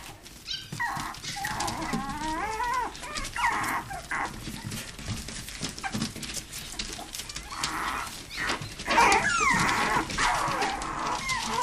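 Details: Toy poodles and Pomapoos playing together in an indoor living room play area; high whiny whimpers and yips with bending, wavering pitch, mixed with scuffling and clattering play noises throughout.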